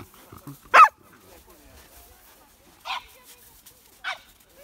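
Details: Playful young female Pembroke Welsh Corgi Hina, eager for play, gives one loud sharp bark followed by two softer, shorter barks spaced about a second apart in a quiet room.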